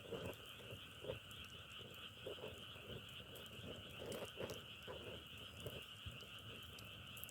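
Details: Frog croaks pulse rapidly, several per second, in short low bursts over a steady high-pitched chorus, with light crackling clicks.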